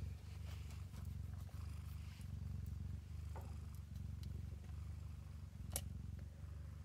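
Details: A mother cat nursing her kittens purrs continuously; a deep, steady, throbbing rumble lasting several seconds, with occasional sharp clicks and soft rustling in the background.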